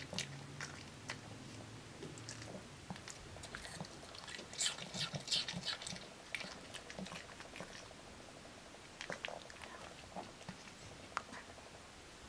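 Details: Apple-eating dog Kimdungi, bursts of crisp crunching that swell in the middle then thin to scattered bites, steady low hum throughout.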